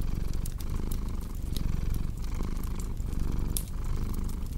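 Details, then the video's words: Soft, low cat purr murmuring in breathing rhythm beneath a fireplace's crackling and occasional bright snaps. "Purring Cat with Cozy Crackling Fireplace Sound"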